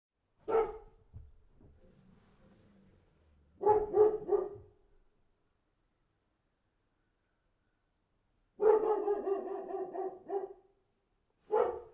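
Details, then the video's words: Dog barking in separate bursts: a single sharp bark, a faint low rumble, a quick double bark, then a longer run of rapid barks and one last bark, on an otherwise silent background. "Real dog barking sound effect"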